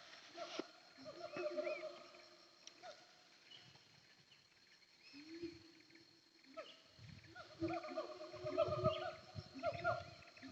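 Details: Siamangs (Symphalangus syndactylus) call from the hills of Bukit Kalowan, between Nagari Paru and Nagari Durian Gadang, with loud harmonic hoots and swooping barks that build into a rapid, echoing chorus. Locally, morning calls are said to signal hot, dry weather.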